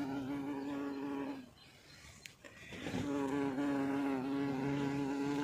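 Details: A fat little bumblebee flying in again in Sloviansk on 16 April 2024; a steady droning hum that stops for about a second and a half, then resumes and holds to the end.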